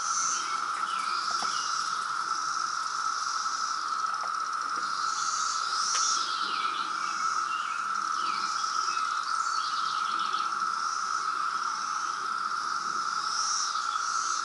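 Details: A 2017 brood of periodical cicadas in Reston, Virginia, producing a loud emergence chorus: a constant, even buzzing drone that never pauses, overlaid by scattered high bird chirps and twitters.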